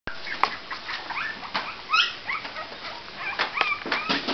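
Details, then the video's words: Cavalier King Charles Spaniel puppies, 28 days old, giving many short high whimpers and squeaks that overlap, with small yips scattered through; several pups call at once. "Cavalier King Charles 28 Days old"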